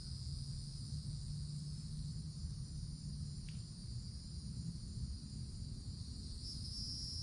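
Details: Cicadas calling in a wooded forest canopy in summer: a steady, unbroken high-pitched electric drone throughout, over a heavy low rumble of background noise, with one brief sharp click midway.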